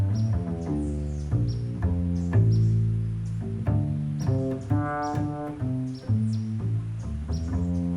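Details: Only music is heard, a deep bowed and plucked bass line with no animal sounds.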